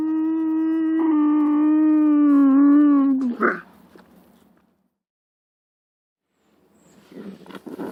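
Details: Lynx uttering a sustained, tonal, howl-like yowl lasting about three seconds, dipping slightly before breaking off into a short rasp; faint rustling noises follow after a silence.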